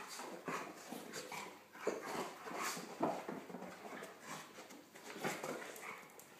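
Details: Two dogs at play, Nelson the golden retriever and his Pomeranian poodle friend Buster, who dives underneath Nelson and nips his ears; soft noisy huffs and snorts come in short bursts, roughly one or two each second, with no single call standing out.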